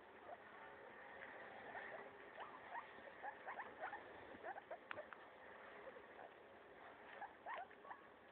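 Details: Pet guinea pig named Maso destroying a leaf, giving rapid crisp crunches and snipping clicks that come in short busy runs, louder at times, against a faint constant hum.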